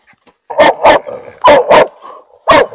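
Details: Female hunting laika barking excitedly at a caught raccoon dog in forest; three pairs of loud, sharp barks roughly a second apart, the hunter about to scold her.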